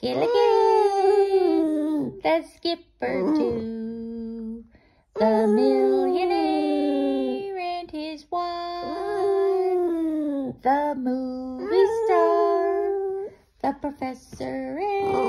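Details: A Boston Terrier howls in long, wavering, sliding tones along with a person singing the Gilligan's Island theme song.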